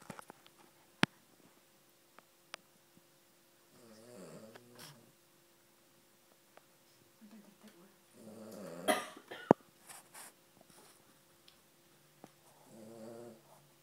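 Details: Female Cavalier King Charles Spaniel snoring: a few low, rattling snores about every four seconds, interrupted by a louder snort-like burst and occasional sharp knocks in a quiet room.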